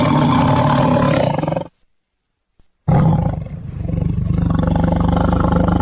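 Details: A tiger roars in deep, rough bursts, with a brief silence between two long rumbling roars.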